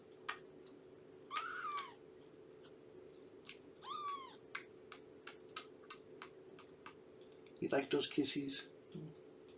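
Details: Morning meows from Shelby, a roughly two-year-old rescued mother cat living in a foster home through Purrfect Pals: two short, rising-then-falling mews amid light tapping clicks, followed by a burst of talking near the end.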